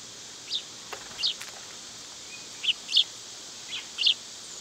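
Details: Cicadas on a summer day hold a flat, high, unbroken drone beneath several loud, quick bird chirps spaced about half a second to a second apart.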